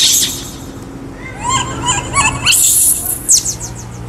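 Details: Kaka, a baby wild monkey, screams because he is hungry for fruit: a quick run of short, squealing harmonic cries rising and falling, between broadband rustling bursts and a low background hum.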